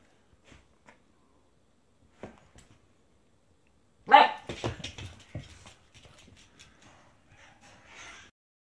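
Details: Ten-week-old female Husky and Border Collie mix puppy. One sharp, high bark about halfway through, followed by softer whimpering yelps that fade out. A few faint taps come earlier in near silence.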